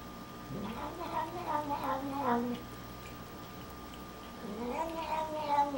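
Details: Pet cat Snoopy grumbling through his nightly hairball medicine, a blend of complaint and eager eating; a wavering, falling moan-meow lasting about two seconds, then a second rising, drawn-out meow, in a quiet indoor room.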